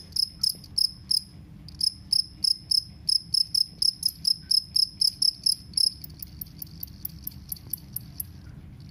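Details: Loud, shrill chirping of a two-spotted cricket, short ringing pulses repeated about four times a second, briefly broken after the first second, then running on evenly above a faint low rumble.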